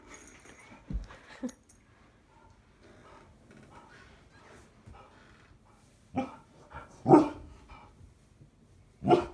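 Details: Himeko, a 96-pound Akita, barks while scared of a life-size coyote decoy. Five short, sharp, harsh barks come irregularly across nine seconds, some close together and some after long quiet gaps, with faint rustling between them.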